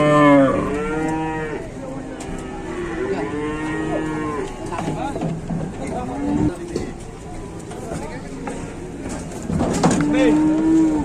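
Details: Cattle trapped in a truck at an Indonesian livestock market, four animals crowded inside: many overlapping moos and bellows, some rising and falling in arcs, one after another for eleven seconds, with thumps, clatter and distant voices.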